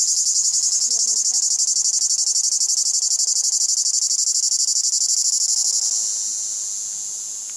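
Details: Cicada in summer at Monêtier sings a loud, continuous high-pitched buzz with a rapid pulsing texture.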